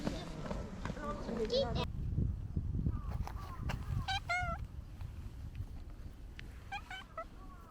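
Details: Pet cat giving a series of short meows, some with a quick rising-falling shape, after a stretch of human voices and rustling at the start. Background room noise continues throughout.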